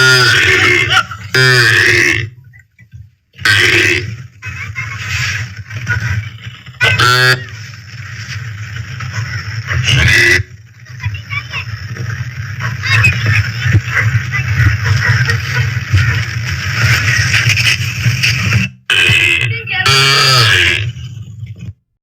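A calf gives loud, rough moos, low and droning with harsh, grunting bursts.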